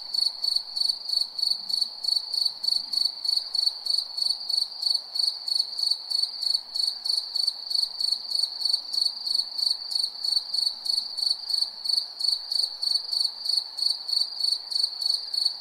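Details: Night chorus of crickets: a constant high-pitched trill overlaid with rapid, evenly spaced chirps, roughly three per second, running unbroken throughout.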